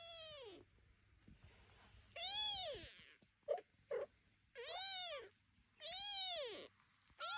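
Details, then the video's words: Devon Rex kittens calling indoors during their first walk, watched by mother and aunt; loud, rising-then-falling mews repeat about once a second, each bright and harmonic, with soft rustling between calls. "Uczymy się chodzić"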